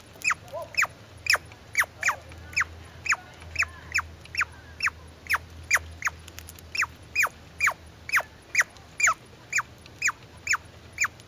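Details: Squirrel calling in a steady series of sharp, downward-sliding chirps, about two per second, each a brief bright note with a clipped finish, continuing unbroken over a faint low hum.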